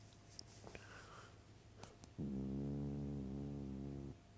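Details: Sleeping dog gives a long, even, rasping snore of roughly two seconds after a stretch of light clicks and rustling in a quiet room.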